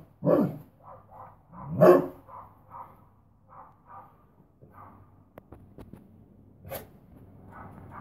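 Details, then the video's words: An Akita barking: two loud, deep barks about a second and a half apart open the recording, followed by softer short, higher yelps and whines repeated at irregular intervals, then one more sharp bark near the end in a quiet setting. "Akita barking"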